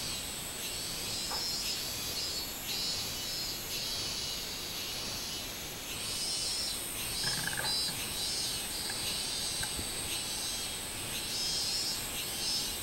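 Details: Recorded 24 July 2016, a minmin cicada gives high, rasping pulsed phrases that rise and ebb above a steady insect drone, with a brief chirp from another creature near the middle.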